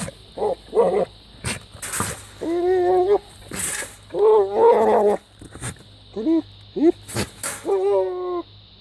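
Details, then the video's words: Goat making bizarre noises: a run of loud, strained, nasal bleats, some wavering and some bending upward in pitch, with short gaps and a few sharp clicks between them. "Crazy goat makes bizarre noises"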